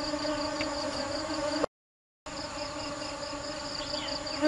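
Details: Bees busily foraging for nectar give a steady, low droning buzz with rich overtones, broken by a brief silence.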